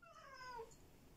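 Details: Black cat giving one short meow, a clear harmonic cry that falls gently in pitch and fades after about a second.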